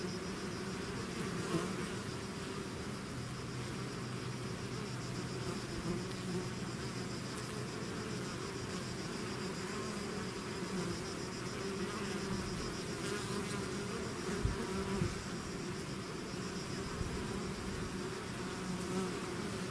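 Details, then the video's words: Constant droning of a bee swarm leaving its hive; an unbroken low hum with bright overtone bands, occasional nearer insects flying by, and a faint click or two. "bees therapy swarm natural buzzing sound"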